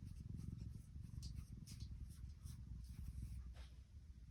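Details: Low, continuous purring from Tiki, a contented female tuxedo cat, the rapid pulsing rumble holding steady while light tapping noises come and go over it.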